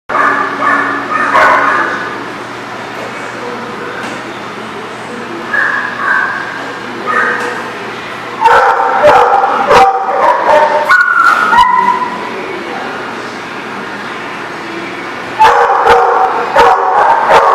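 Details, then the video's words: Dogs barking at a barking lot, recorded 12/10/18: bursts of harsh, ringing barks come in clusters, some rapid and overlapping, separated by quieter stretches with a steady low hum in the background. "The Barking Lot"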